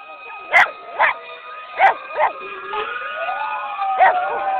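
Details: Reacting to parade sirens at Sunset's annual parade, the dog Sadie lets out four quick barks, then pauses and adds one more. A rising siren wail fills the background.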